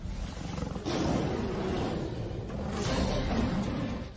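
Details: Lion roaring in Africa, from a pride; the roar carries up to 10 km and reaches 115 decibels, driven by muscles between the ribs and a resonance box; deep, rumbling low roar with grunting pulses under a wash of broadband noise.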